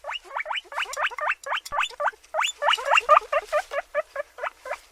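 A guinea pig gives a rapid run of short, high squeaks, each sliding sharply upward.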